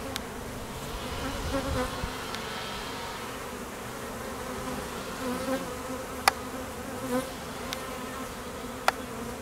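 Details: At a busy apiary in peak summer nectar flow, honey bee foragers and drones on midday mating flights make a swelling collective hum, with passing individual buzzes rising and falling over the drone and occasional clicks.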